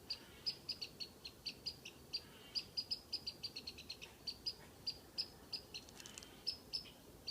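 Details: Squirrel in a tree whistling while teasing a cat: short, sharp, high chirping whistles repeated in quick, fairly regular succession, about three per second, with a steady faint background hiss.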